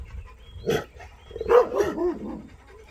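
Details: Rottweiler confronting an armadillo: a short sharp bark followed by a cluster of rougher barks and whining yelps over about two seconds.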